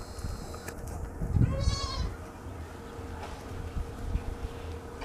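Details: Young goat suckling milk in the morning gives one brief, quavering bleat, fairly soft, against a constant low hum and faint rustling.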